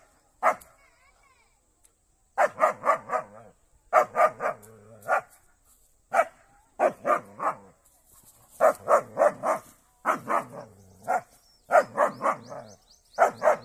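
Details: German Shepherd in a fight with a cow, barking in quick clusters of three to five harsh barks, the clusters repeating about every one to two seconds, with brief human speech in the background.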